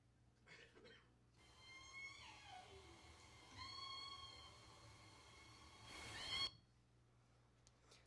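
Southern Resident killer whale giving harmonic, squealing calls that bend upward and then slide down, over a hiss of water noise.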